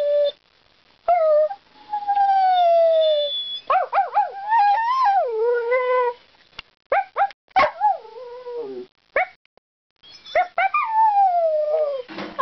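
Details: Pet dog 'talking' and singing in a run of varied howls and whines, some long and gently falling, others short, wavering and bent, broken by brief pauses.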